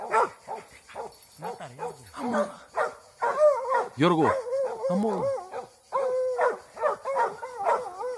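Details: Young Plott hound, eight months old, barking and baying in the middle of a fight after release; strong wavering, sliding barks in quick series, mixed with people talking.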